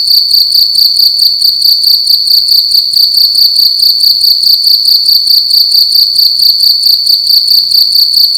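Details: A cricket's loud night chirping in a small room, shrill high-pitched pulses repeating rapidly and evenly for the whole stretch, with faint upper harmonics and a quiet background.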